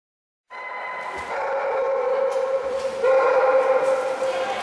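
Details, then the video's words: Norfolk Terrier Liro swimming in the Woof pool for the first time, managing to paddle but wanting out quickly, dislikes the pool; steady high whining tone held for seconds, pitch stepping up partway, with splashing water "Norfolk Terrier・ワフ（Woof）のプールで泳いだよ・ノーフォークテリア"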